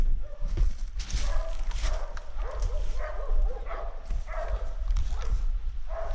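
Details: Dogs hunting wild boar bark and yelp in quick, repeated bursts against a steady rumble of outdoor noise.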